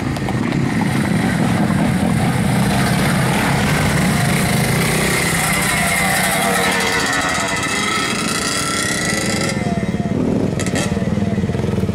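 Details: Loud, constant engine rumble and revving dominate an outdoor scene, with no animal voice.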